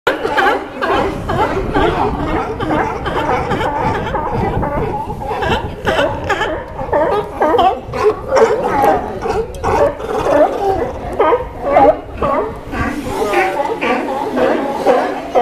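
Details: Sea lions gathered dockside in Newport, Oregon, calling together in a dense chorus: overlapping hoarse, gargling barks repeated about twice a second, layered voices blending into a continuous rough din.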